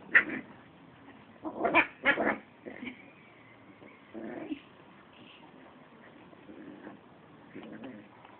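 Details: Little Terra, a young American Pit Bull Terrier kept with another pit bull named Gabi, growls in rough, strained bursts near the start and again around two seconds, followed by softer drawn-out whining tones and faint sounds.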